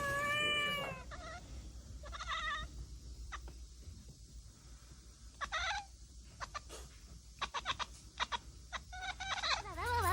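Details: An old cat and a tricolour kitten at home; a clear drawn-out meow opens, followed by short chirping calls, faint clicks and taps, and a wavering meow at the end.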